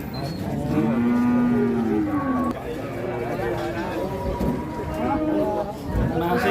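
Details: Huge Pegon bull at a busy cattle market in Indonesia gives a long, low moo lasting nearly two seconds, slightly falling at the end, followed by fainter lowing amid bargaining voices and crowd noise.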